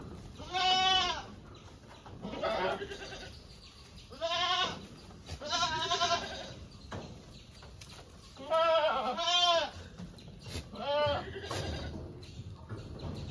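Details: Several goats bleat repeatedly across thirteen seconds, some calls paired close together, others spaced about two seconds apart, each a shaky, vibrato-laden cry of roughly half a second to a second.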